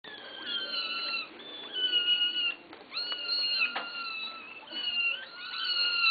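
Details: Kittens begging for food, giving a rapid run of high, strained meows with clear rising and falling tones, several voices overlapping, indoors.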